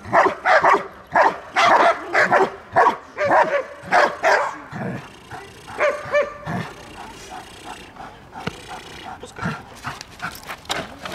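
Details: Belgian Malinois in protection training, guarding its female owner in Dyukovsky Park, Odesa, Ukraine; a burst of rapid loud barks at first, fading into softer, scattered barks mixed with whining sounds and background voices.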